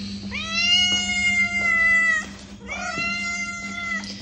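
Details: Two long cat meows used to get a cat's attention: the first sustained and level for nearly two seconds, the second shorter and slightly falling, with a faint hum beneath.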